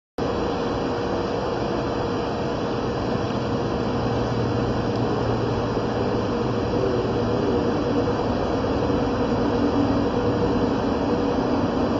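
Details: Steady mechanical hum like an air conditioner or engine runs the whole time, with a faint low drone and no animal voice.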